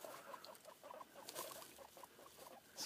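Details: Guinea pigs recorded on 11 November 2013, making a quick run of short, soft chirping squeaks repeated several times a second, with faint speech in Spanish around them.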